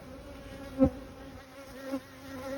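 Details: Honey bees at a hive while honey supers are being placed in 2022; a steady low droning hum with one sharp knock from handling.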